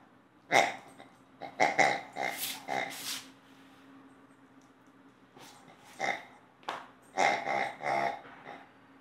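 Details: A playful two-year-old female Old English Sheepdog gives short throaty growling grunts in bursts: a run of four or five close together, a lull, then another cluster of rough, voiced grunts in a quiet room.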